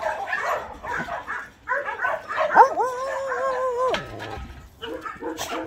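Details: Several abandoned medium-to-large shelter dogs in Gyeongju, South Korea, among some 200 trained dogs: a burst of mixed barks, then a long sustained whining howl holding steady before dropping away, followed by more scattered barks.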